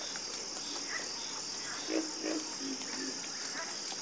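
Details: A harmonious frog chorus with a few short, rough croaks around the middle of the stretch, spaced under half a second apart. A continuous high-pitched insect hum runs underneath.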